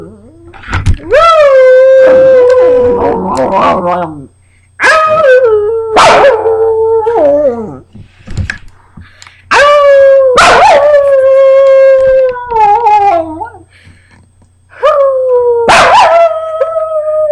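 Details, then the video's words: Moose, a pet dog, sings along with his owner over Labor Day weekend. Long tonal howls with rich harmonics slide gently downward, each lasting one to three seconds, separated by short quiet gaps, with a low steady hum underneath. "My Dog can sing better than yo"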